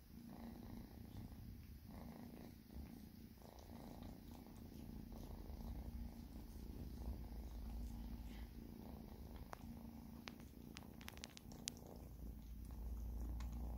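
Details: Two pet cats purr as they are fed, a deep continuous rumble pulsing about three times a second, with some sharp ticks and clatter near the end.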